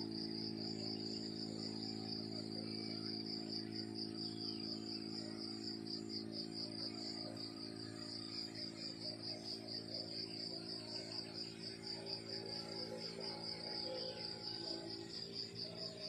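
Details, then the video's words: Crickets chirping in the countryside in the morning: a continuous high, rapidly pulsing trill that holds steady throughout, over a low constant hum. "The beautiful sound of crickets chirping in the countryside in the morning"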